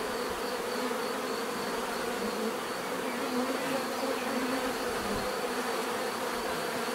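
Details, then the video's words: Natural buzzing of bees, a continuous, even drone of many wings layered over one another, with no single insect standing out and no other sounds. "bees therapy relaxing natural buzzing sound"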